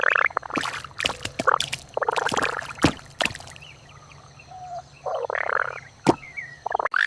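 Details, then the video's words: Indian bullfrog, described as a rare yellow frog, calling in nature: harsh, gargling bursts in uneven clusters, separated by short pauses, with a faint thin whistle and clicks in the background. "Rare Yellow Frog Wonderful Indian Bullfrog Video | Frog Sounds"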